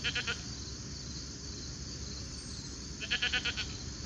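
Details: On a late summer evening, grazing alpacas make a short pulsed call at the start and a louder, stuttering burst of rapid notes near the end, with steady high hiss and low rumble throughout.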